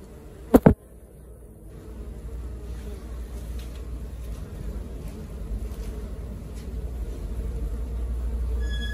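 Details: Honey bee colony at work, a dense low buzzing hum building steadily over several seconds after a sharp knock near the start.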